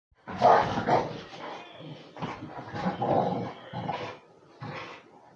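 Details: A Beagle–Basset Hound mix and a pitbull playing together: short gruff barks and growly vocal bursts come in separate spurts, some half a second long, with brief quiet gaps between them.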